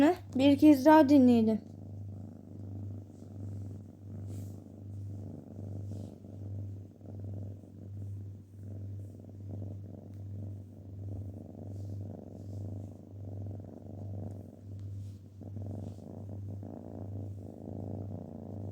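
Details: Domestic cat purring: a steady, low, pulsing rumble that rises and falls about twice a second for most of the recording, after a short loud burst of voice or music at the start.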